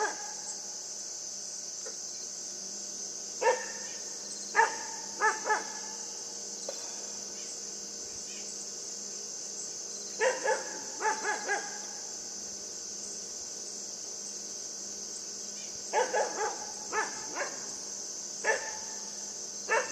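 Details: Yufie, a pet puppy, playing with a buck and giving brief yapping barks in loose groups separated by several quiet seconds, set against a constant high hiss and low hum.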